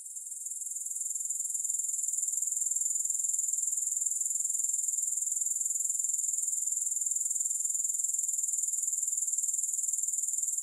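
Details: Grasshoppers in a soothing recording with no music: a steady, very high-pitched shrill trill, finely pulsed, that swells slightly at the start and then holds an even level throughout.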